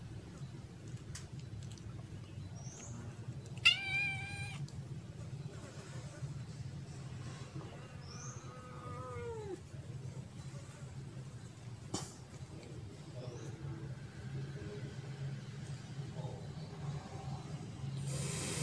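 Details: Abandoned black kitten crying behind a house one afternoon: two short, high, harmonic meows, a bright one near four seconds and a lower falling one near nine seconds, over a steady low hum with a sharp click later.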